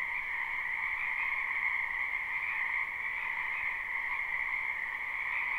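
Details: Many wild frogs calling in a wetland behind a house in spring, captured live: a dense, unbroken chorus of overlapping trills with two steady bands, one mid-pitched and a stronger higher one, no pauses and no other sounds.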